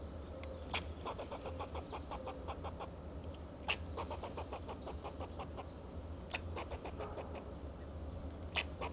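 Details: Alarm calls of a fox squirrel perched on a Monterey pine, Del Monte Forest, California, defending itself and its territory. Quick trains of dry, clucking barks with several loud snaps, high faint whistles above, and a constant low rumble beneath.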